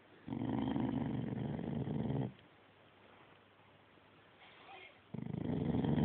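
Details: Dog gives a low, rumbling, growl-like vocalization lasting about two seconds, then quiet room tone, and a second rumbling burst begins near the end.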